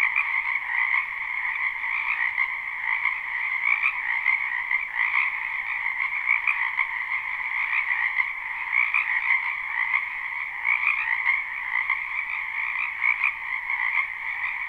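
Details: Frogs croaking together in a spring wetland, a live unlooped recording; the overlapping calls merge into an unbroken buzzing drone with a brighter upper band and a lower band, and the loudness swells gently throughout.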